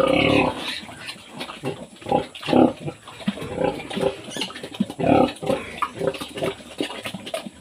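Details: Pig grunting on a Philippine pig farm, with a sow being treated after farrowing. Short, rough grunts come in uneven bursts about every second, some louder and more nasal, over a faint constant hum.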